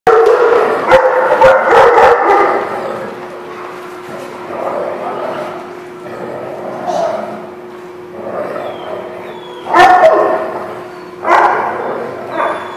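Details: Dogs at a kennel or boarding lot on January 18, 2016, barking in rough bursts, loud at the start and again near the end, over a steady hum and some human voices.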